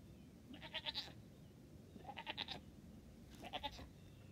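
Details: Newborn triplet goat kids, two days old, dressed in pajamas and taking first tentative hops while their mother watches closely; three bursts of high, quavering bleats, each about half a second long, spaced roughly 1.5 seconds apart over a low background rumble.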